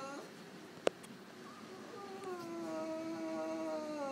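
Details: Female French Bulldog at an animal clinic, still drowsy from anaesthetics after routine surgery and in mild discomfort, after a sharp click lets out a long, drawn-out, faint whine that holds a steady tone and slowly drifts lower.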